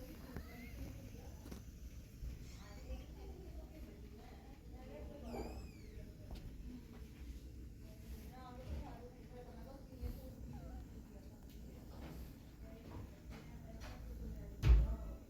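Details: Fluffy kittens learning to climb give thin, high mews, one strongly arched rising-falling call midway, then a run of short chirpy mews, over a steady low hum with occasional knocks and a loud thump at the end.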